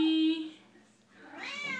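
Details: A pet Siamese cat sings along to her favourite Les Misérables song, giving a drawn-out, rising meow just after her owner sings a steady sustained note.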